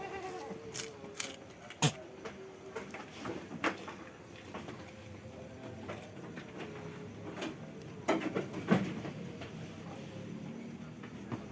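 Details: Long-eared Jamunapari goat kid on a goat farm, giving a soft, wavering, nasal bleat in the opening seconds and again faintly near the end, over scattered sharp clicks and knocks.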